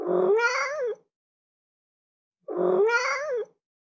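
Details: Two clear meows from a cat, each lasting about a second with a rising-falling whine, separated by a silent pause of roughly one and a half seconds.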